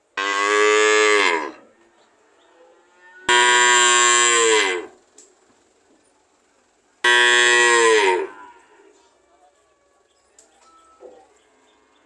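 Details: Cow repeatedly mooing: three loud, full-bodied moos of one to one and a half seconds, each bending slightly downward at the close, with quiet pauses of about two seconds between them.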